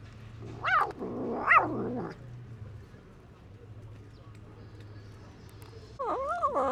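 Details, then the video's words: Neglected stray cat eating food and fighting off other strays to protect it; two loud wavering wails early, then quieter low rumble, then another rising-falling cry at the end over a constant low hum. "The Hungry Cat Eats the Food It Finds by Making Noises And Fights to Protect It"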